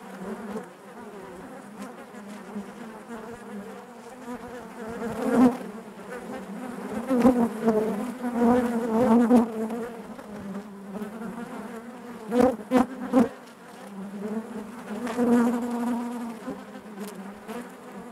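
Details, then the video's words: Honey bees humming in their hive, a thick droning buzz with stacked overtones that surges several times, louder swells around the middle and near the end, with brief clicking bursts. "bees therapy hive natural buzzing sound"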